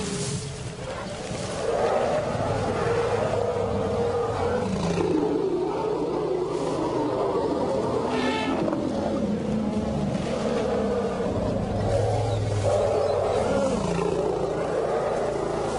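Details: Lions in a wildlife documentary, heard as continuous low, rumbling roars and growls that swell and fade over about sixteen seconds, with faint background noise beneath.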